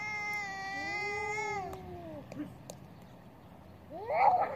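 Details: Fighting cats: a long, steady, tonal yowl holds for about two seconds, then bends downward and breaks off. After a quiet gap with a few clicks, a sharper rising squall flares up near the end.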